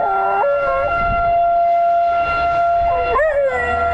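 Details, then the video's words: Theo, a pet dog, howls outdoors as a tornado siren sounds, a habit he shows every time the siren goes off. Two short wavering, bending howls come at the start and near the end over the loud, steady, droning siren tone. "Theo Howling at Tornado Siren"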